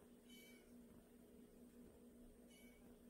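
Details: Indoors, one of two pet cats (a white male and a tabby female) lets out two brief high meows about two seconds apart, over a steady electrical hum.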